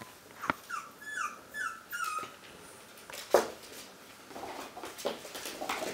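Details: Toy Fox Terrier puppies, one month old, give a few short high descending whines early on, then fall quieter amid soft rustling and scattered thumps in a small room.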